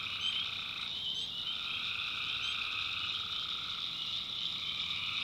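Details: Swamp at night in backwoods North Carolina, tree frogs calling: dense, sustained trilling in two bands that briefly drops out and returns, beneath an unbroken high-pitched insect drone.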